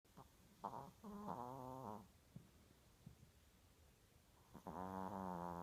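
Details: Chihuahua snoring very loudly while asleep: harmonic, nasal rasping breaths in bursts around one second long, several close together at the start, a quiet gap, then a long drawn-out snore at the end.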